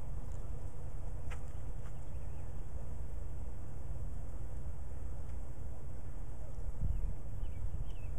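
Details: A steady, low droning hum of Carniolan honey bees at a backyard hive, three days after being installed from a nuc in spring (late April 2013), with bees moving in and out well.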